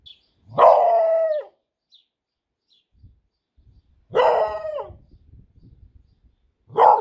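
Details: A female Beagle barks on the command "speak", giving loud, full, tuneful barks that stretch almost into a bay, each about a second long, with quiet gaps between calls.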